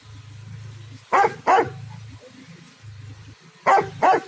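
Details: A dog barking loudly in a garden: two pairs of sharp, loud barks, each pair a quick double bark, separated by a low steady hum between them.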